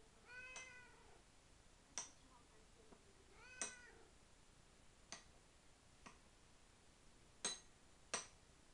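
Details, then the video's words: House cat at mealtime calling for food indoors, two clear meows a few seconds apart, the second louder and falling, among sharp clicks and taps of dishes or a bowl. "Chat qui parle / 話をする猫"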